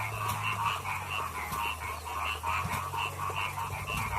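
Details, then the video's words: Paddy frogs singing in a rice field, a dense chorus of pulsed croaks with notes stacked near two pitch bands, repeating several times a second, over a steady low hum. "Suara Kodok Sawah Bernyanyi"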